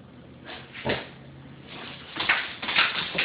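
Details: Sasha, a Doberman puppy indoors, frightened of a Swiffer Sweeper mop, gives several short sharp barks and yelps that grow louder toward the end, with scraping and knocking sounds in a small room.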